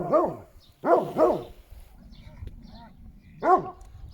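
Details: Šarplaninac dog barking: deep, arched barks, a single one, then a quick pair, a pause with faint whimpers, and one final bark.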